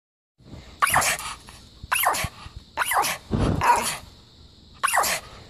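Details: A female dog being looked after by a pet sitter in Boulder, Colorado, gives a high, squeaky bark to show she wants something: five short sharp barks about a second apart, with a steady background hum.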